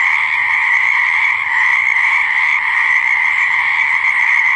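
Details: Frogs croaking by a pond or swamp: a dense, unbroken chorus of overlapping croaks blending into a steady, shrill drone that holds at an even loudness throughout.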